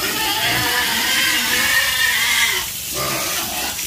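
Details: Farm pigs give continuous overlapping squeals with strained, harmonic tones. The noise is steady and loud, then eases slightly toward the end.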